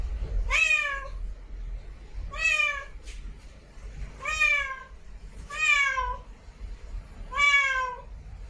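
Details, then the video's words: Cat in a village meowing: five clear, drawn-out meows spaced about two seconds apart, each with a slightly rising then falling tone and rich overtones, over faint low background rumble. "Cat voice in village"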